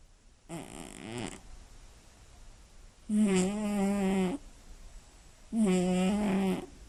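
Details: Sleeping female Scottish Fold cat with slightly folded ears, born 29 March 2016, snoring loudly at night indoors: three harsh, buzzy snorts with a strong low tone near the bottom, each lasting over a second, spaced about two to three seconds apart.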